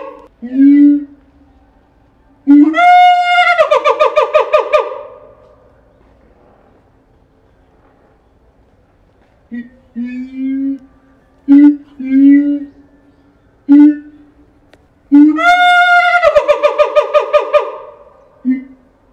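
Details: Captive siamang Keiji at Higashiyama Zoo in Japan, calling loudly on 17 January 2023. Low booms build into a fast, strongly harmonic barking series of about two seconds, then scattered short booms, then another rapid climbing bark series.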